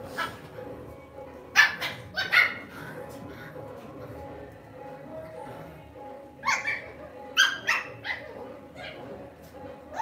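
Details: Pet Lhasa Apso indoors, barking in two quick bursts of three sharp yaps each, several seconds apart, with faint talking and music in the background.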